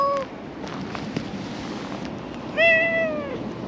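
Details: A grumpy brown-tabby-and-white stray cat in a park growls at an enemy cat in the bushes: a brief tonal yowl, then after a pause a longer, steady, slightly falling drawn-out yowl, over quiet hiss.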